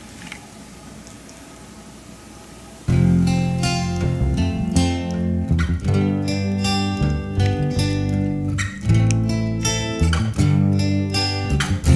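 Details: Quiet room tone, then strummed acoustic guitar music starts after about three seconds and continues; no animal voices.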